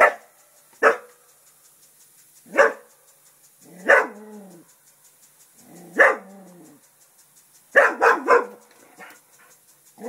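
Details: English Springer Spaniel named Festus barking at a turtle while guarding the house: short sharp barks spaced one to two seconds apart, some with a brief growly tail, a quick double bark near the end, quiet between.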